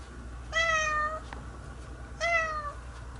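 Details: After a bath, a house cat roams indoors searching for a way out, uttering two clear, sustained meows, each about half a second long and slightly falling, with a low steady hum behind.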